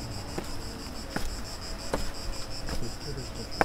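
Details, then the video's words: Cicada singing outdoors along the Camí de Ronda coastal path near Sant Feliu, Catalonia: a steady, shrill, high buzzing drone running throughout, over low rumbling background noise and a few faint clicks. "cigale qui chante."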